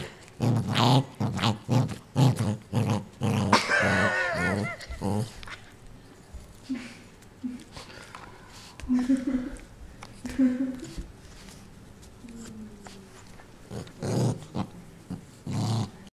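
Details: Ninja, a pet dog guarding a newly received toy from everyone, gives a rapid run of throaty growls and snarls, then quieter grumbles while a person speaks softly, before the growling picks up again at the end.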